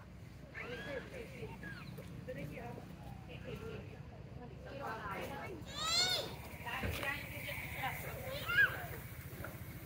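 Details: A wild baby macaque near Angkor Wat lies on the ground giving shrill, wavering cries to call its mother for help.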